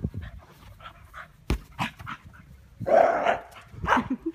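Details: Scottish Terrier at ball play, breathing in short airy pants, then a sudden louder, rougher huffing burst followed by a few more quick breaths.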